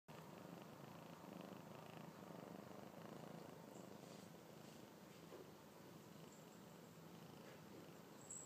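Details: A six-month-old domestic kitten purring: a soft, continuous, low rumbling vibration that holds steady throughout, with faint high clicks and rustles now and then.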